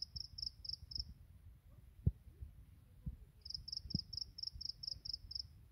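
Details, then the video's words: Grass insects singing in the morning: rapid trains of high, thin chirp pulses, a burst of about five, a pause of two seconds, then about eight more, over a low background rumble with a couple of soft knocks. "풀벌레의 아침 노래"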